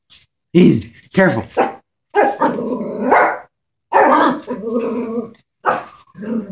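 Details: Chihuahua scared of a stuffed toy horse, letting out short sharp barks that slide into drawn-out, harmonic growling whines, with a person talking between the bursts.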